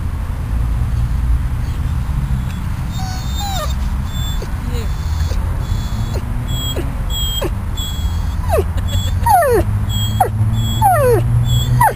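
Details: Riddick, a dog out of ICU at Bryanston Veterinary Hospital, sits outside on the grass and whines uneasily; thin sliding whimpers come sparse at first, then in quicker, steeper falling bursts, with nearby speech and a constant low mechanical hum.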